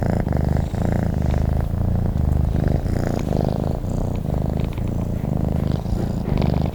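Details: Low, throaty purring from a sleeping cat, a constant vibrating drone broken into rhythmic breath cycles roughly every second, steady loudness, quiet surroundings.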